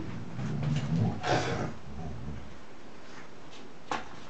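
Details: Puppies at playtime indoors: a low, rough, harmonic growling rumble swells over the first second and a half, then fades to quiet room noise broken by a sharp click near the end.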